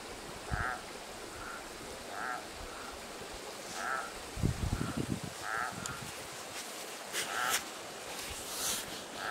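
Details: Frog singing at night beside a creek at a remote desert canyon camp: short nasal calls with a bright upper tone, repeated roughly every second, with thumps and rustling from the recordist moving nearby.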